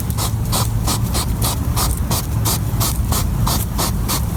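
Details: European hedgehog at night, sniffing rapidly while foraging: a fast, repeated, almost mechanical snuffling of broadband huffs, about four to five per second, steady throughout with a low rumbling underneath.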